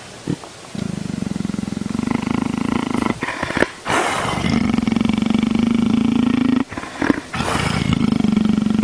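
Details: Leopard purring, a steady low rumbling drone with fine rapid pulsing, broken by a few short gaps and louder breathy bursts.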